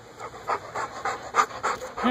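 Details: Labrador Retriever panting while playing, one of two Labradors named Apollo and Hera; quick, breathy, rhythmic pants, about four bursts per second, evenly repeated throughout.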